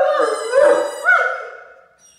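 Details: Mikey the Great Dane, a pet dog, howling along with the squeak of his Mousey Ball toy; a sustained, wavering mid-pitched howl that swells, rises briefly near the end, then fades out.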